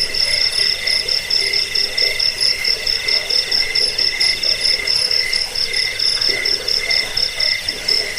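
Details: Continuous cricket chirping, meant to repel rats and serve as a tutor for cage birds. Bright high-pitched pulses repeat a little over twice a second over a second lower trilling band, forming an unbroken insect chorus.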